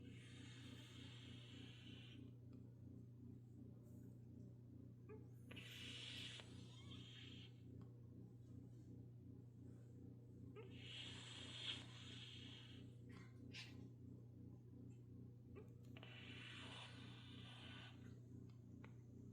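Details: Lala, a white Turkish Angora cat, snoring hard while sleeping deeply and very tired; soft breathy snores come roughly every five to six seconds over a steady low background hum.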